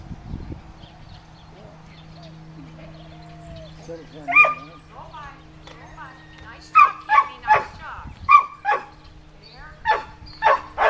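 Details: Sheltie named Cammie herding sheep near Sacramento, California, July 25, 2010, at Performance Dogs in Action; after a quiet stretch with faint tonal sounds and one yelp, a string of rapid, sharp barks fills the second half over a constant hum.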